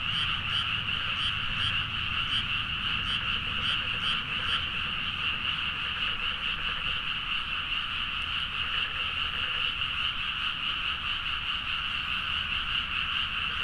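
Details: Midnight frog chorus from rice paddies near Nagaoka, Niigata, Japan, Zoom H4n recording: constant massed croaking with rhythmic pulses about two to three per second early on, over a soft low background rumble.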